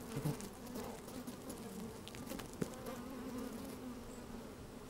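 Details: Honey bees at work in an opened hive on a sunny day, recorded from inside: an even, sustained humming drone with a faint higher tone, a sharp buzz early on and a single click midway.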